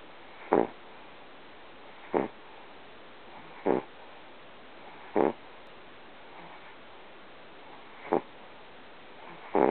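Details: Sammy, a small pet dog, sleeping and snoring loudly in a weird way; short harsh snorts repeat roughly every one and a half seconds over a steady background hiss.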